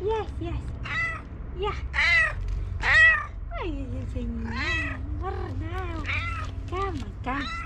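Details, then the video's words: Domestic cat, female, meowing rapidly and repeatedly while waiting for breakfast; about a dozen short rising-falling meows in under eight seconds, some drawn out and wavering, over a low steady hum. "Fastest meowing cat ever"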